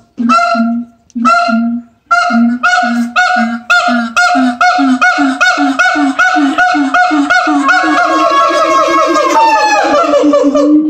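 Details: Siamang gibbons howling at the L.A. Zoo: a loud series of harmonic hoots, slow at first, then speeding up into a rapid run of rising, shrieking notes that climb in pitch toward the end.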